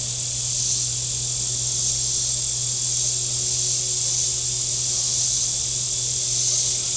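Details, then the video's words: A continuous high, sizzling cicada drone on the shore of Table Rock Lake in southern Missouri on a very warm Saturday, barely varying in strength, over the constant low drone of a nearby boat motor. "Boating Lake Sounds and Cicadas"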